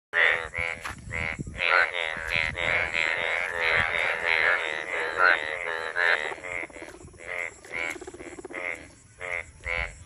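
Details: Frogs croaking in monsoon season: a dense chorus of harsh, pulsed croaks from overlapping callers. The calls run loud and nearly continuous for about six seconds, then break into separate short bursts roughly once a second.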